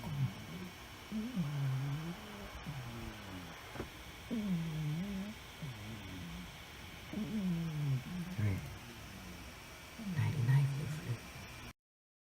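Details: Sleeping tuxedo cat Fluffy snoring indoors, each breath a low, throaty, slightly rising snore repeated roughly every three seconds, four or five in a row, over the constant whir of a hard-working computer; sound cuts off at the end.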